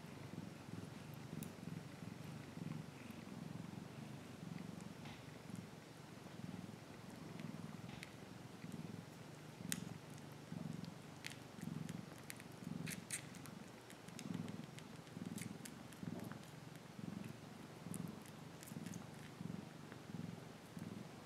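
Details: Pet cat waving and purring: a continuous deep vibrating rumble that rises and falls with each breath, roughly every second, with soft scattered clicks and handling noises above it.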